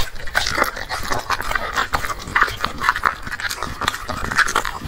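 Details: Black dog eating a meal of chicken and vegetables: dense wet smacking and lapping noises with rapid, irregular clicks and crunches, continuous throughout.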